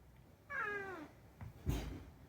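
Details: Indoors, the rescued cat Unagi lets out a gently descending meow lasting about half a second, followed by a short pause and a loud thump or handling noise.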